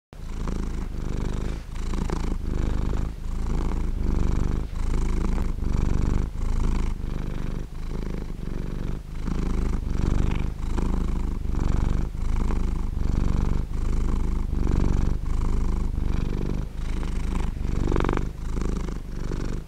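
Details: Domestic cat purring, a steady low rumbling drone broken into regular pulses by short breath pauses roughly every 0.7 seconds, continuous throughout with no other sounds.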